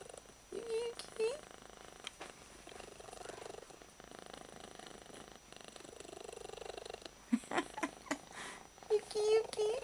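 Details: Held domestic cat with odd-coloured eyes purring as hard as it can; a steady rumbling purr rising and falling with each breath over ten seconds, a woman softly calling the cat near the start and end.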